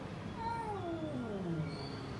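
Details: Domestic cat giving a drawn-out meow that slides downward in pitch, over a steady low background hum while a person nearby calls it over.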